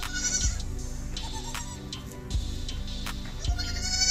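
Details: Goats and baby goats in a village bleat in short, wavering calls over background music; finding: Goat.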